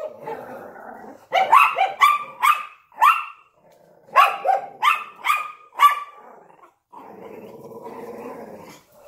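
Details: Barking at a window, a Yorkshire Terrier together with a Lhasa Apso: a low, rumbling growl opens, then two quick runs of shrill yaps, then a steady growl returns at the end.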